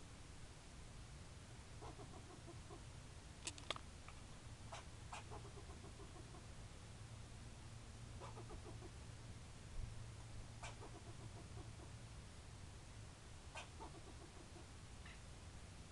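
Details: Squirrel barking: short sharp chucks repeated at irregular intervals of about one to three seconds, each a brief broadband burst over a steady low rumble and hiss.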